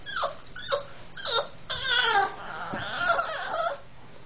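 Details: A female Boston Terrier gives high, falling whines and yelping squeals in quick bursts, likened to Snoopy noises, excited about going for a car ride as her harness is sought.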